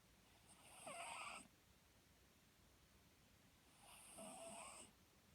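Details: Snoring Papillon, a pet dog; its new owner took it to the vet after hearing it, and it was healthy. Pairs of drawn-out nasal rasps with high whistling tones, roughly three seconds apart, indoors and otherwise quiet.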